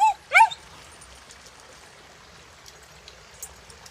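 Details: A female Australian cattle dog playing in a river gives two quick, sharp, high yips at the water, then falls silent, leaving a steady hiss of flowing river water.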